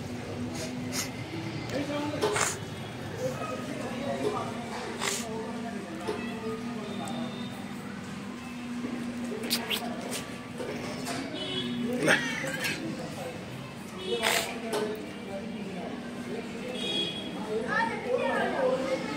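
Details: Indian street cats, a mother cat with her hungry kittens indoors as they drink milk, the mother said to be angry with them; a few short rising meows break through steady Hindi talk, with clatter and rustling in the room.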